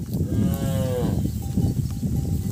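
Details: Calves crying because they cannot find their mothers: one drawn-out, wavering moo lasting about a second, with a steady low rumble of background noise and a faint ringing tone afterward.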